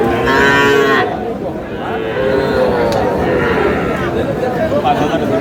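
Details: Cattle at a Noakhali livestock market, young bulls and heifer calves traded by a farmer: a strong bellow at the start, then fainter overlapping moos amid the dense hubbub of a crowd and haggling voices.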